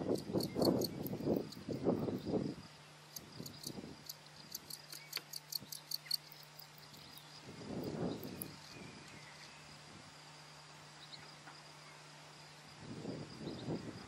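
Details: A singing male field cricket (Gryllus campestris) gives high, pulsed chirps that attract a female, over low rustling thumps.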